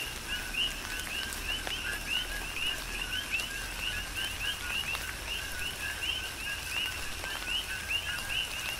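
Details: Rhythmic chorus of coqui frogs during a rain shower on Hawaii's Big Island, with bright two-note chirps stacked and overlapping steadily, set against continuous rain noise and the sharp taps of falling drops.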